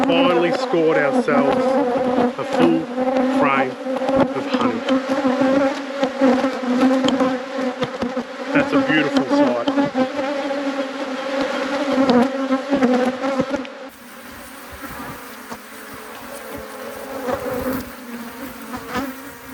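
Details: Honey bees in a thriving apiary hive during an inspection. A dense, steady hum of many bees holds low, even tones throughout, with sharper buzzy rises from bees flying near the hive. The hum drops quieter in the last few seconds.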